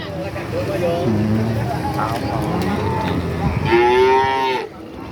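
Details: Cattle at the Pasar Pahing cattle market in Nganjuk, East Java, Indonesia, among notably tall-legged animals: a low lowing moo early on, then a louder, rising, harmonic-rich moo near the end, over crowd murmur and market bustle.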